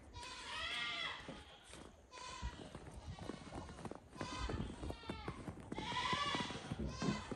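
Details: Goats calling in a barn on a snowy night at evening chores, waiting for their grain: a few drawn-out wavering bleats between stretches of clatter, rustling and thumping.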